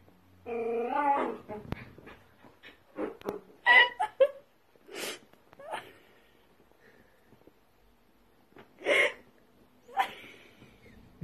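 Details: Playful miniature dachshund giving high whining whimpers with stacked harmonics near the start, then scattered short yips and squeaks separated by quiet gaps; a few toy-like squeals near the end.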